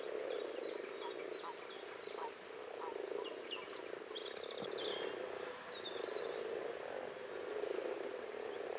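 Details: Massed common frogs (Rana temporaria) make a continuous low murmuring drone of overlapping croaks, with scattered high bird chirps and a descending whistle mixed in.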